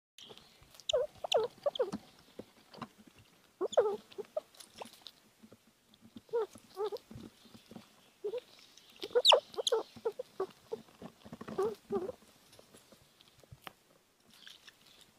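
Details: A 7-week-old red squirrel gives bursts of high, squeaky chattering calls in quick clusters.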